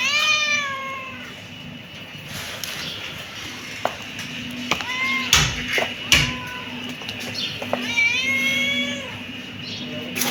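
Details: Kitten meowing repeatedly: a long falling meow at the start, two short chirpy meows in the middle and another drawn-out meow near the end, with taps, rustling and a constant low hum.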